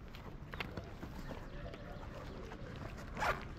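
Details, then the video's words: Stray cats in Morocco meowing gently while greeting the person who feeds them; one short, falling meow sounds near the end, over a low rumble and scattered rustling and clicking noises. "The cats miss me,filling my heart with the joy of their gentle meows,as if they're saying:We missed"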